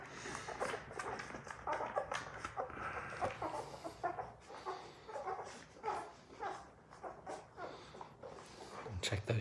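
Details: Labrador Retriever puppies, part of a litter of six, crowd in to nurse on their mother Sadie during their morning wake-up indoors; rapid short squeaky whimpers and snuffles come in quick bursts throughout.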